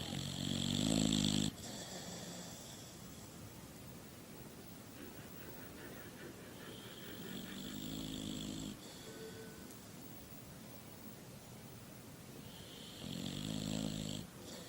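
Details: Sleeping dog snoring in slow cycles: a loud rumbling snore at the start, softer wheezy breaths between, then another strong snore building toward the close, each lasting around two seconds.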